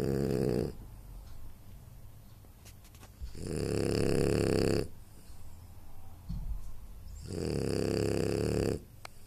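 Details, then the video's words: Anton Speck, a French Bulldog, snores loudly while sleeping: three harsh, vibrating snores roughly three to four seconds apart, each over a second long, separated by quieter breaths. "Französische Bulldogge Anton Speck schnarcht"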